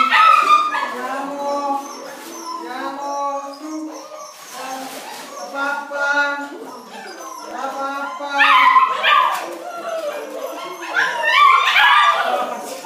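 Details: Nine Bernese Mountain Dog puppies, wildly excited for food, fill the air with overlapping high whines, squeals and yips in a dense, restless chorus with a few louder bursts near the end.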